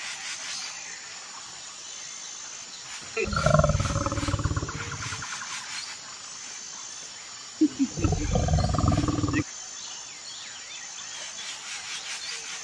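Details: White lions kept at Kamalia Zoo, a rare colour form: two loud, rough, low roaring bursts about two seconds and one and a half seconds long, separated by a pause of about three seconds, over a steady background hiss.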